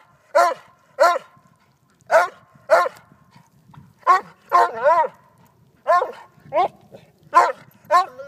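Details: A Vizsla barks at play with a silky rooster: clipped, yelping barks in uneven bursts, some paired, a few drawn into brief whining wavers, over a faint low rumble in the background.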